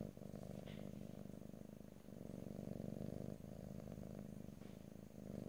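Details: A cat purring right beside the microphone in stereo, no voices: dense low vibrating rumble, steady in loudness, with slight dips between breaths and a faint high tick early on.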